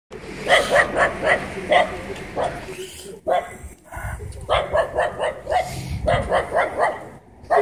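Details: Dog barking at a cyclist in Bendery on 20 December 2016: sharp barks repeated three or four a second in several runs separated by short pauses, over street background noise.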